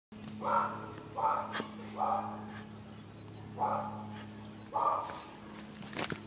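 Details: A little pet dog barks at the dog next door: five sharp, mid-pitched barks spaced about a second apart, over a steady low hum, with a brief click near the end.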